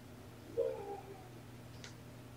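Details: Kitten from Seraphina's litter of four at Purrfect Pals, transferred from a Lewis County, Washington shelter, on the afternoon of 28 November 2018 during petting and brushing; a single short, soft, steady mew, then a faint click over a low constant hum.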